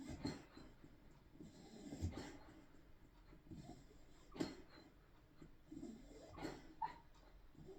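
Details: Snoring from Ruby the spaniel, less regular here: rough, low breathy snorts come at uneven intervals, a few sharper puffs standing out, with quiet wheezy air between them and a low constant room hum.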